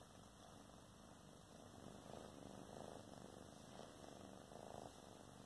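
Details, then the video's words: Sister cats chatting together at home: a continuous rumbling purr that swells in short pulsed bursts through the middle and latter half, with no other clear sounds. "SISTER CATS TALK"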